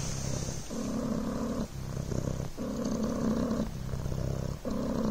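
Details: Soft rolling purr of Coco, a Devon Rex kitten, on a blanket: a low buzzing drone alternating between a brighter and a duller phase with each breath, roughly every second.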